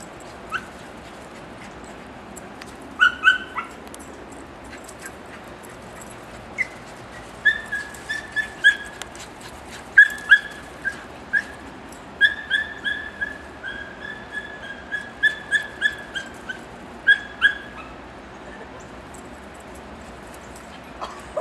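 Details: Odin, a seven-month-old Beagle/Basset Hound mix seeing snow for the first time, chases Dixie, another dog, in Connecticut. High, clear yelps and whining bays come in short bursts, clustering densely through the second half. No other clear sounds.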